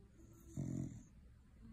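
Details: A cocker spaniel sleeping after a long day of eating Christmas turkey lets out one deep, rattling snore of about half a second, amid soft, low breathing in a quiet room.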